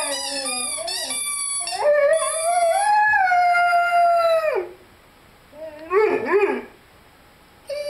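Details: Lyle, a 5-month-old Rhodesian Ridgeback, howls while playing with his squeaky chicken toy. A few high squeaks open, then a long, steady, wavering howl holds for nearly three seconds before a brief rising and falling yelp-like cry.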